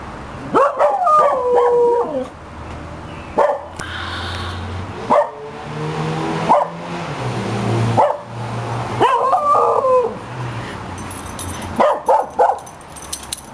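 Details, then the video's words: A young 2-year-old Cocker Spaniel gives wavering, yodel-like howls that rise, fall and break off, sounding like an old dog's howl, with a person speaking between them. "Cocker Spaniel Max Funny Howl"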